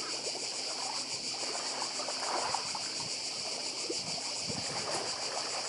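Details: High, insistent cicada drone throbbing evenly on Badija island, Croatia, with gentle waves and trickling water underneath.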